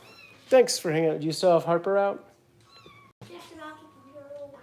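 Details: Foster kitten Harper being bottle-fed by Kitten Rescue volunteers in Los Angeles, giving a few thin, high meows, with steady tones late in the clip, mixed with human speech indoors in a small room.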